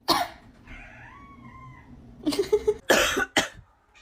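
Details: Pet cat reacting to its owner's coughing: a drawn-out, tonal meow of about a second and a half, wavering slightly in pitch, set between loud human coughs at the start and several harsh coughs afterward.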